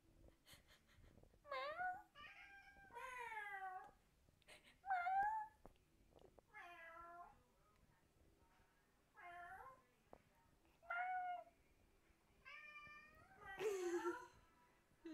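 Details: Indoors, Fang the cat trades calls with people faking meows. A run of about nine short meows, many bending downward, spaced roughly every one to two seconds, with faint clicks between.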